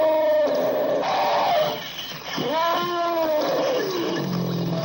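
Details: Elephant trumpeting from a sound collection: loud, tonal, harmonic calls that swoop and bend, with a brassy upper buzz, separated by short gaps. One call curves sharply upward before sliding back down.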